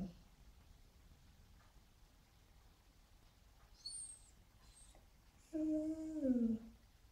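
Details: Frustrated Border Collie mix dog indoors: thin high squeaks first, then a loud, tonal, one-second whining howl that slides downward at the end in an otherwise quiet room.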